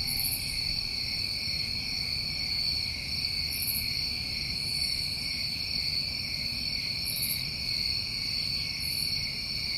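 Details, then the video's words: Chorus of crickets on a New England summer evening, a dense unbroken trill sustained at several high pitches, with faint hissing bursts every few seconds above it and a soft low background hum. "Tinnitus Masking With Crickets"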